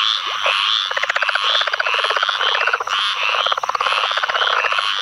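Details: Southern leopard frog (Lithobates sphenocephalus) giving rapid, guttural chuckling pulses in clucking bursts, in a field flooded by Tropical Storm Ana rains, Onslow Co., NC, 11 May 2015; other leopard frogs, Squirrel and Pine Woods Treefrogs also calling.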